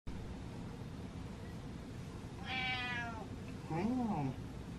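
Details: Pet cat following its owner around, giving one drawn-out, slightly falling meow with rich harmonics, then a woman speaks briefly over a low indoor hum.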